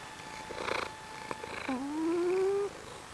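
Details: Sleeping female pet Maine Coon cat snoring loudly: a single whistled, gradually rising nasal note lasting about a second, preceded by a few soft rustles.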